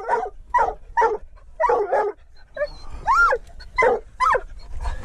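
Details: Mink-hunting treeing walker coonhound, out with a dachshund, gives about nine sharp, ringing barks and yips in quick succession, with one arching, yelping note near the middle.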